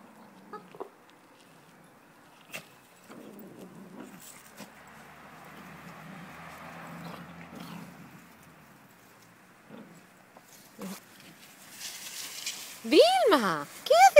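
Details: Cavalier King Charles Spaniel playing fetch: mostly quiet shuffling and faint rustling, then near the end a burst of loud, high, arching whines and yelps that rise and fall in pitch in quick succession.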